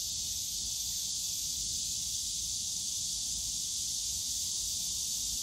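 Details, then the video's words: Summer cicada drone in Yongsan Family Park's bamboo grove, a continuous bright, high buzzing wall of sound of unchanging loudness, with a gentle low-pitched rumble of the surrounding park underneath. "용산가족공원 대나무숲 매미소리 여름날 공원소음"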